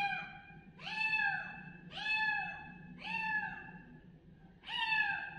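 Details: Kitten calling loudly with repeated meows, each an arched, nasal cry rising then falling, about one per second, over a low steady hum.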